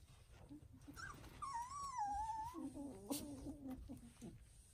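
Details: Foster puppies in a new litter: a long, high whine sags and wavers downward, then lower wavering cries follow, with faint rustling and a sharp click.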